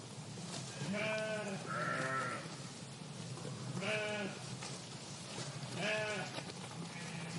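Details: [['Flock of sheep in a park: loud, wavering, harmonic bleats about every two seconds, some overlapping as several animals call, over a steady low background rumble.']]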